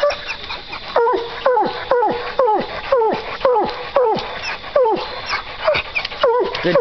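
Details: Two coon hunting dogs, Duke and JR, barking steadily at a treed raccoon: a fast run of sharp, falling barks, roughly two per second with small gaps, and a man urging them on in the background.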